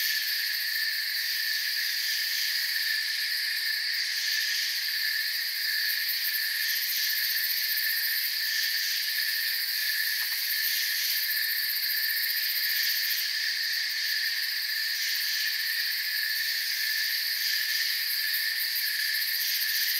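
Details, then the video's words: Crickets chirping in a forest, a dense, unbroken high-pitched chorus of steady shimmering trills layered in several pitch bands, with no pauses and one brief faint click near the middle. "Forest Sounds and Crickets"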